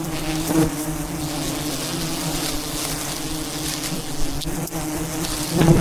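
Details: A mass of wild bees buzzes around a giant mountain beehive during a traditional honey harvest at height. A low, even hum of countless wings runs steadily, broken by a few soft knocks and rustles.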